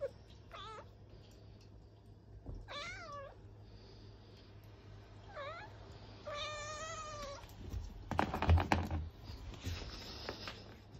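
Abyssinian cats give insistent, wavering meows, demanding treats, with clicks and rustling in between.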